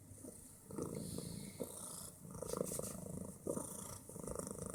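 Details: Bit, a fat female house cat known for very loud snoring and purring, purrs with a rough, low rumbling pulse that swells and fades in short waves, with faint rustling in a small room.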